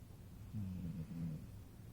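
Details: Gracie, a pet dog, asleep on a couch indoors, gives a short low droning snore lasting under a second, with a slight wavering in pitch, over a quiet room hum.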